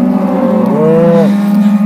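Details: Aberdeen Angus cattle herd on a farm in Lubuskie, Poland, back on corn grazing, with only the youngest animals left; a low, droning moo rises slightly mid-clip and lasts about half a second over a steady low hum.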